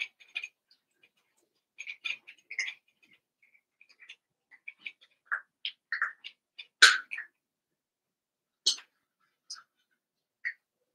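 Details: Cavalier King Charles Spaniel puppies, Daisy's six and Robin's two, playing together; a run of thin high squeaks and short yips, with one sharp louder yelp about two-thirds through and brief pauses between.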